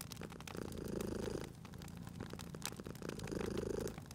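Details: Cat purring beside a crackling fireplace in a cozy spring setting; a low, rumbling purr swells and fades about every two and a half seconds while sharp pops and snaps of burning wood cut through.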